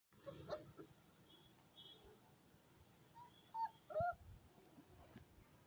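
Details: Young Rajapalayam puppies, recorded 27 May 2022, make brief, high-pitched whimpers, with a couple of sharper squeaky yelps near the end over a low steady background rumble.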